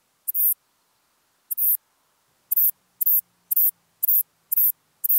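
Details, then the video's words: Western saddle bush-cricket, Ephippiger diurnus, at Bollenberg, France, on 9 October 2022, recorded with an ultrasound detector: short, very high, dry buzzy chirps, each about a quarter second, repeated roughly twice per second with uneven spacing, against an otherwise quiet background. "Ephippiger diurnus -- Westliche Sattelschrecke -- Western Saddle Bush-cricket"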